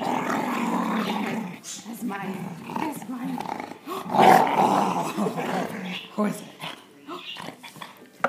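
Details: Female Boxer and American Bulldog mix dog indoors, wrestling with people over her toy while trying to act fierce; rough, throaty growls rise and fall in bursts, with laughter and talking from people throughout.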